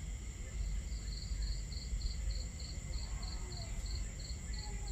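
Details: Steady chirping of crickets at night beside a campfire: crisp high pulses spaced about a quarter second apart, very even in rhythm, beneath which water and fire make a heavy low rumble.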